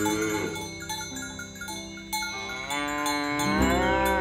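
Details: Cattle being herded along village roads in the morning, with dozens of fat cows walking to green pasture; one drawn-out, rising harmonic moo near the end over steady background music and cowbell-like chimes.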